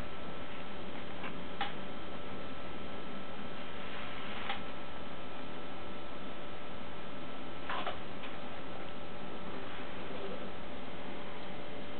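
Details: Steady ticking in a small indoor room over a low electrical hum, with a few soft knocks and faint handling sounds.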